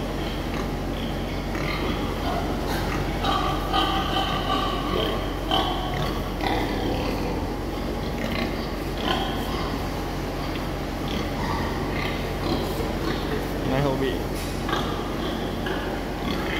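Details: Selected young replacement sows of a southern Vietnamese type at a farm; short rough grunts and snorts surface repeatedly through a steady noisy background, with a man talking at intervals.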